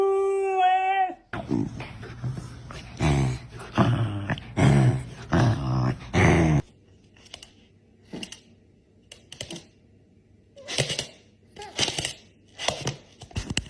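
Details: Puppies indoors, one giving a drawn-out, wavering whine-howl with stacked overtones for about a second, then a series of short thumping bursts and scattered noises separated by quieter pauses.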